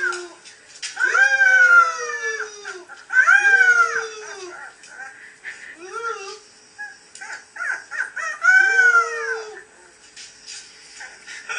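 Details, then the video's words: Playful Beagle puppies giving drawn-out whining howls, rising then falling in pitch, three main long cries about two to three seconds apart with shorter yelps between, in a quiet room. "PLAYFUL BEAGLE PUPPIES"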